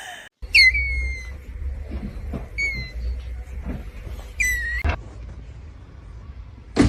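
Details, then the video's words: Cat heard in a compilation of funny cat clips, giving three high, thin mews that drop slightly in pitch, each under a second, spaced about two seconds apart, over a low steady hum. "cats meowing"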